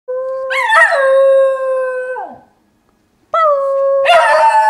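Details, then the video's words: Niles, a singing dog, gives a steady, sustained howl with a slight rise at the start, then drops off; after a short silence a second long howl begins and grows rougher toward the end. "Singing Dog Niles"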